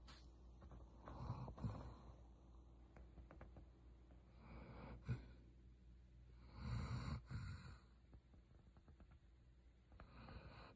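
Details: Sleeping German Shepherd Roxy gives low, snorting snores at irregular intervals: one burst near one and a half seconds, a short snort at five, and a longer rasping breath around seven, with quiet breathing between.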